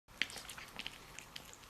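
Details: Pet cat while eating: a quick series of short, crisp clicking and smacking bursts, the loudest near the start, then softer chewing ticks at irregular intervals, heard close up indoors.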